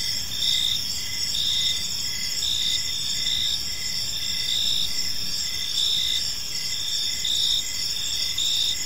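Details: In a tranquil park at evening, crickets keep up a steady shrill chorus, sustained high trills overlaid by rhythmic chirps recurring about every second, with low background noise.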